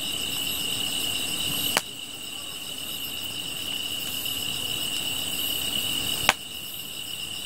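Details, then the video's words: Grass insects singing by a fire: a sustained high-pitched ringing tone with a steady pulsing buzz above, interrupted twice by sudden sharp cracks that briefly drop the level before the ringing resumes. "풀벌레 소리"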